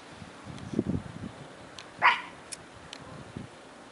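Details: An 8-year-old Pomeranian with difficulty walking, filmed 1/12/2016 at 4:43 PM, gives one short, sharp bark midway through, preceded by soft low thumps and shuffling, with quiet room tone around it.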